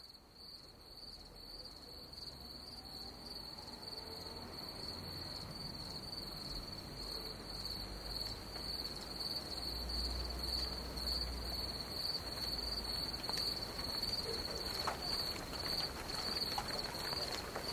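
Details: Crickets at dusk during a thunderstorm in Hungary, a steady high, even trill held throughout, with rain hiss building underneath and low rumbles of thunder.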